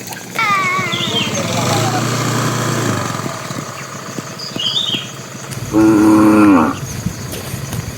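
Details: Tame bull heading to the pen with the herd, calling to the cows: a long wavering low moo rising in pitch, then after a pause a shorter, louder moo, with chirping birds in the background.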